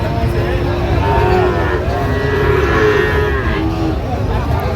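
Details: Long, level lowing from Sahiwal bull calves for sale at a busy Tangail cattle market in Bangladesh, 19 September 2025. Several calls overlap, with people talking and traffic rumbling underneath.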